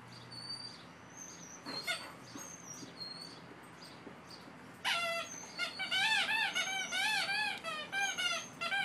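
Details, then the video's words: Two Boxer dogs at play: after a few seconds of faint background bird chirps, a rapid run of high, arched yelping yips and whines breaks in, several per second, bright and harmonic-rich. "2 Boxers at play"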